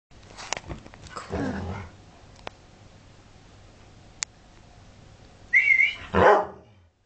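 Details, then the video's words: A female collie cross outside a house barks and makes herself visible to be let inside, with an Airedale Terrier also present: rough, rasping barks near the start and end, a short whistled tone, and some clicks. "Collie cross says boo to Airedale Terrier"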